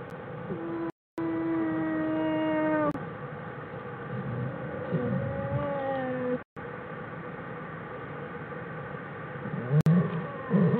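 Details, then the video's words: Bears in Jewel's den, January 16, 2013, producing their 'song': a long, steady tone with bright overtones held for two seconds, later a shorter, falling tone, then quieter rumbling and shuffling with brief dropouts. "Jewel's den .. Singing bears"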